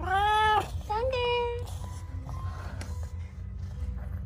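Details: Domestic cat from a home with sixteen cats and one dog meows while running out to greet its owner: two drawn-out, tonal meows, the first rising then falling, the second shorter and level, with a low background hum.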